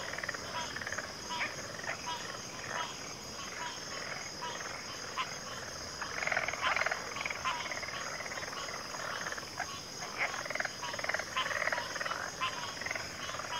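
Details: Backwater frog chorus, a dense overlapping mass of many callers in rapid pulsed trills and croaks, swelling louder around the middle and again near the end, over steady high insect-like hiss.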